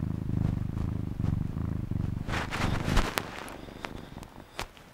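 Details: Cat purring: a low, pulsing rumble steadily repeated through the first two and a half seconds, then fading into scattered clicks and soft rustling handling noises.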